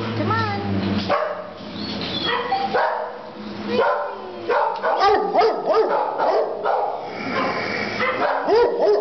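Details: Pit bull terrier at an adoption shelter, recorded in March 2012; several short barks and yips, some with rising pitch, come in irregular bursts amid a busy chorus of other dogs barking and a person talking.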